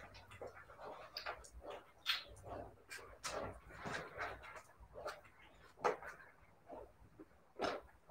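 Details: Siberian Husky puppies giving scattered short whimpers and yelps, several seconds apart, with faint speech-like sounds and soft background noise between calls.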